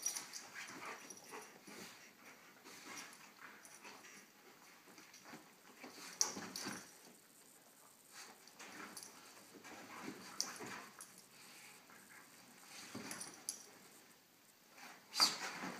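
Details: During play between a small dog and a large dog, quiet scuffles and thin high whimpers or yips come in scattered bursts, with a few sharp clicks and a louder burst at the end.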